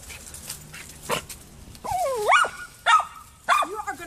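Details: Poodle named Gracie, up in a neighbor's tree trying to reach Allie the cat, gives a low rumble, then high sweeping whines that slide up and down and end in short yelping yips about every half second.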